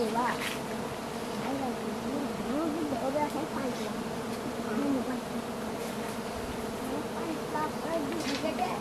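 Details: Continuous low hum from a crowd of giant honey bees at a forest nest during a honey harvest, softer and more even than nearby passages, with occasional rustles and knocks.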